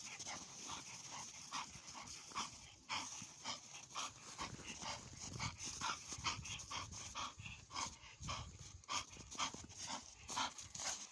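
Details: Bull Terrier worn out after play, panting fast and breathy at roughly two breaths a second, soft and uneven in strength.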